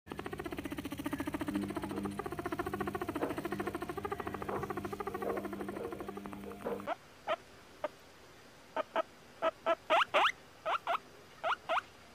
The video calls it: Guinea pig sounds, guinea pig squeaking